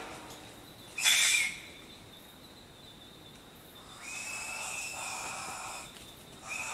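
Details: Short-eared brushtail possum calling with wheezy shrieks: a loud hissing burst early, followed later by a long drawn-out breathy shriek, with a steady high insect hum throughout.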